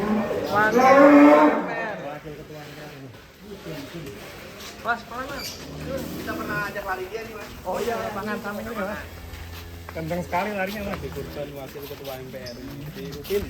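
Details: Sacrificial cow belonging to celebrities and officials, 2023: one loud, drawn-out low moo at the start, then men talking over quieter background noise.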